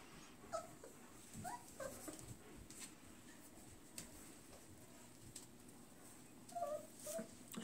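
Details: German Shepherd puppies, four weeks old, settling for nap time after eating indoors; soft, high, squeaky whimpers come in a few brief bursts near the start and again near the end over low room hum.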